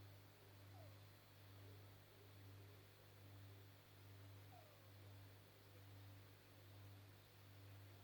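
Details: Maggie, a 14.5-year-old Pekingese who is blind and slightly deaf, snores quietly while asleep, a low rumbling drone that swells and fades in a steady rhythm about once a second, with faint room hum.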